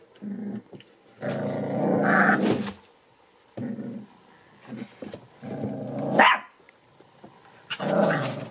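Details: A litter of seven American Bully puppies born December 8, 2019 play-growls indoors in rough, buzzing bursts of one to one and a half seconds. These alternate with short grunts, plus a sharp higher yelp near the middle.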